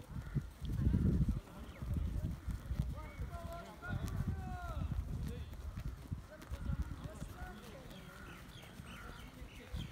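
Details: Sheep and lambs in a valley giving a few overlapping wavering bleats near the middle, fading into fainter calls, over heavy low rumbling and thudding noise throughout.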